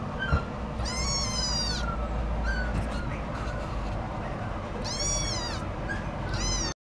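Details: Scottish Fold cat giving shrill, drawn-out meows that rise and fall in pitch, three main calls with softer ones between, over constant low background noise.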